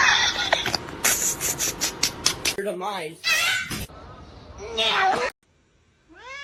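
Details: House cat meowing several times in short, wavering cries between bursts of human speech and clatter, ending with a rising, upward-sweeping meow after a brief quiet.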